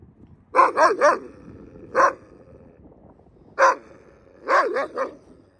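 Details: Captive Yakut wolf in an open enclosure barking at a person: a quick burst of three harsh, ringing barks, a lone bark near two seconds, another at three and a half seconds, then a closing run of three, over a faint steady hum.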